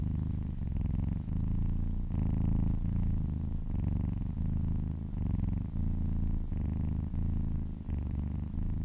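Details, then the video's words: Massaged cat giving a loud, throaty purr that swells and fades with each breath, the rhythmic low vibration repeating about every 0.6 seconds without pause through the stretch. "Purring kittens"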